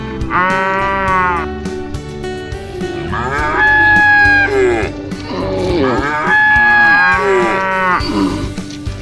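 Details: Herd of tame cattle heading home along a wide autumn road through green hills to the farm pens in the afternoon; three long, harmonic moos, the last two bending upward, set against continuous music.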